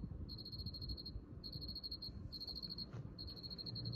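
A cricket chirps in rapid trains of high, pure pulses, pausing briefly between bursts.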